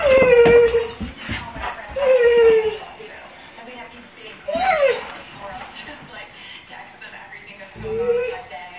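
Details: Pet dogs, including a Golden Retriever and an Irish Setter, howl like coyotes. Short, sliding, whimpering howls come in bursts separated by quieter gaps, with breathing and household noise between them.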